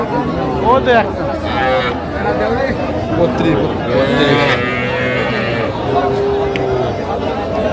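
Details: Calves lowing at a market on 3 August 2025, where a Dhaka farmer buys very small bull and heifer calves, including Sahiwal bull calves; drawn-out low moos rise over steady crowd chatter and haggling voices.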